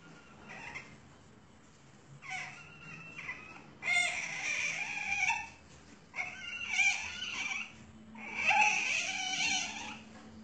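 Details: Asian palm civet at a breeding farm, giving four bursts of high, harsh squealing whines with a nasal edge, each lasting about one to two seconds with short pauses between them, over a faint low background hum.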